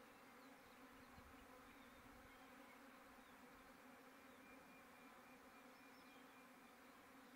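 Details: Bees busy and noisy after rain. A low, steady droning hum with layered overtones runs unbroken and quietly throughout, with occasional soft thumps.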